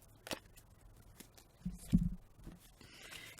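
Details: Only a few scrapes, clicks and low handling thumps in a quiet room, with no animal voice.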